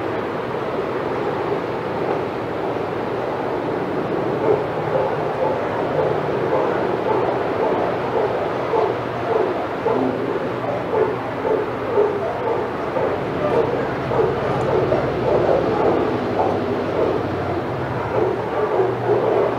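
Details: Senior dogs in the outside yard at Old Friends Senior Dog Sanctuary bark excitedly as another dog, Titus, passes by. Rapid, uneven barks repeat roughly twice a second over a steady hum of background noise.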